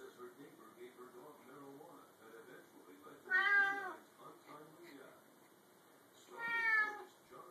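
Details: Bengal cat that likes jumping onto the top of an open pantry door gives two loud, drawn-out meows about three seconds apart over quiet human talk.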